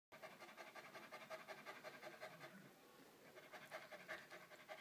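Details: Purebred Moyen Poodle puppies panting: quick, breathy pulses repeating almost three times a second, with a steady rasping rhythm that briefly softens mid-clip before picking up again.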